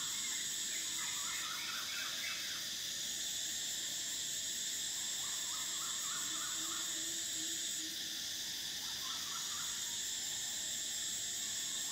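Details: Cicadas at a riverside resort on the River Kwai in Thailand fill the air with a steady, shrill, high-pitched buzzing that swells and fades slightly.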